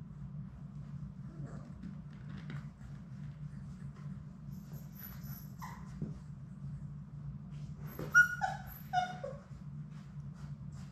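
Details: Labrador Retriever puppies, one of Sadie's litter of six, in their indoor play room on a live puppy cam; a low room hum with scattered faint squeaks, then two sharp, high, wavering whining yelps near the end.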